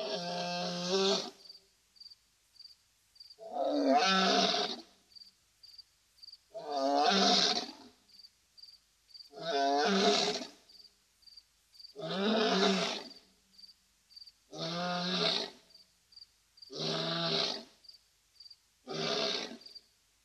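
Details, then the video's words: A male lion at a waterhole at Safarihoek Lodge, in the arid savannah of northern Namibia bordering Etosha National Park, gives deep, throaty roars, each about a second long, repeated every two seconds. "Gorgeous roaring Male Lion at Safarihoek Lodge, waterhole"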